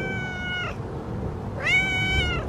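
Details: Outdoor cat wandering into a yard at Christmas-light time, being petted; two clear, drawn-out meows, the first level and fading, the second rising then steady, with a person's soft voice and faint background hum.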